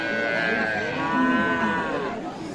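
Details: Cow with calf at Aftabganj cattle market, Nawabganj, Dinajpur, Bangladesh, on 14 January 2025, a single sustained moo lasting about two seconds, smooth and harmonic-rich, swelling in the middle then fading, with market voices following.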